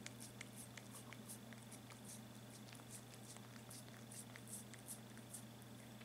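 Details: Rudolph, a hungry kitten, purrs indoors with a low, steady rumble that runs unbroken through the whole stretch, while soft clicks and ticks sound on top and a constant electrical hum lies underneath.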